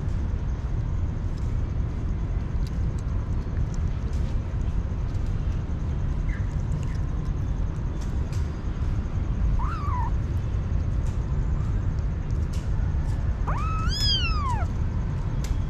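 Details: Street kitten, hungry, making a faint short squeak partway through, then a loud, clear meow that arches up and slides down, set against a continuous low background rumble.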